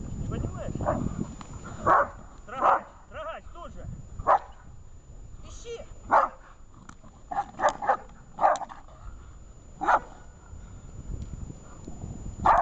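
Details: Shaman, a dog in protection training, barking in sharp, loud bursts about once a second over twelve seconds, the barks coming in an uneven but steady series, with low human voices and rumble in the background.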